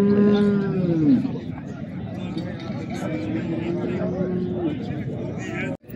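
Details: Young cattle at Settat's Saturday market in Morocco bellow twice, a short dropping moo followed by a longer, flatter lowing call, while men chat and a sharp knock sounds at the end.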